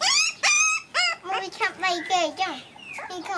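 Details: Puppies at play give a quick run of high, sliding whines and yelps, each rising then dropping in pitch, loud and closely packed with brief gaps, over a faint background hiss.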